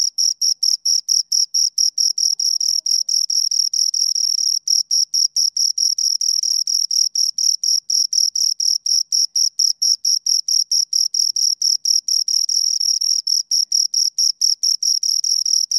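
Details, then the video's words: Continuous high-pitched chirping by two crickets, dense pulses running close together and at times merging into a near-continuous ringing trill, with no background noise. "Two Crickets Chirp Sounds"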